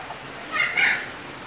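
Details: A young mountain lion (cougar, Puma concolor), newly housed at a desert museum in Tucson, Arizona, gives two quick, high, chirping calls, like a bird-like mew.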